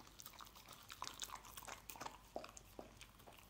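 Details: A dog chewing scrambled egg, with a quick burst of crisp, moist clicks and smacks several times a second, bright and close.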